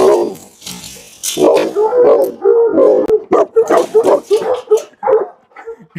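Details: Tibetan Mastiff giving rough, booming barks with a tonal, howl-like edge. The barks come in quick uneven bursts over a noisy background.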